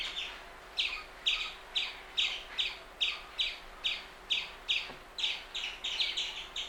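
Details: Indian palm squirrel calling with a steady series of bright, high, clipped chips, each quickly doubled, repeated a little more than twice a second over a quiet, hissy background.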